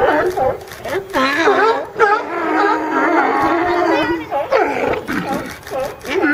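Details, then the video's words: Chorus of a group of California sea lions resting in a pile. Several wavering, harmonic honks overlap, with a long sustained moaning call near the middle and sharp barks at the end. "California Sea Lions"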